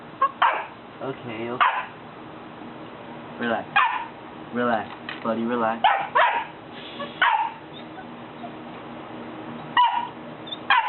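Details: Scared three-month-old Golden Retriever puppy barks at people from the top of a step it won't come down; irregular bursts of high barks and yips, mixed with a person talking and coaxing.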